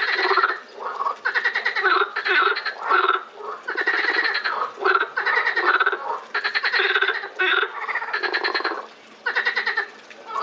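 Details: Frogs at the Botanical Garden in Lausanne on 20 April 2018: several callers overlap in a dense chorus of rattling, pulsed croaks, each burst lasting about a second, with brief gaps between bursts.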